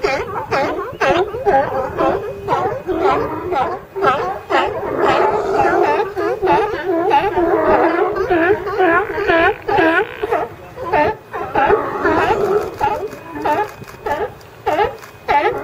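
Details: Group of California sea lions hauled out together, a seagull nearby: continuous rapid barking, about two calls a second, rough and wavering, many voices overlapping into a noisy chorus.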